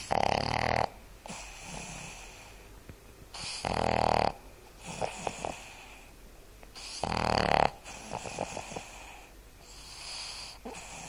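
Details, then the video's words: Boston terrier named Seamus snoring while asleep, three loud rattling snores arriving roughly every three and a half seconds, separated by quieter, fluttering breaths. "Seamus snoring"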